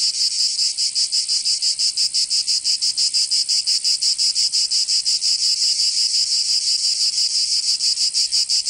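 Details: Summer cicada chorus from Provence in southern France, a loud shrill buzz pulsing steadily about three times per second with a continuous hiss underneath from many insects.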